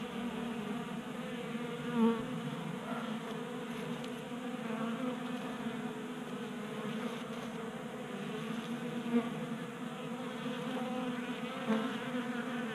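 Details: Many honey bees feasting at a 3D printed feeder on a workbench in a Colorado garage on a warm January day; continuous layered humming drone with a few short louder passes near individual bees.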